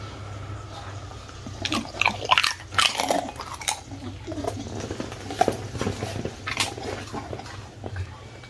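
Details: A one-year-old Miniature Bull Terrier named Bun-turng eats crispy baked fruit, its bites making sharp crunching bursts in clusters around the middle, followed by softer, scattered chewing clicks. A low steady hum sits underneath.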